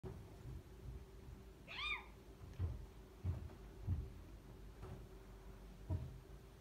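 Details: Mother cat playing with her kitten indoors: one short high meow arching up and back down near two seconds, then soft thumps and light knocks from play against a steady low room hum.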